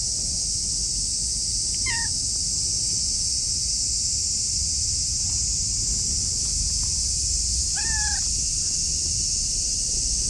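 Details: Orange tabby cat, affectionate and rubbing against someone's legs outdoors, gives two short meows about six seconds apart, each bending downward and then level, against a constant high-pitched hiss and low rumbling background.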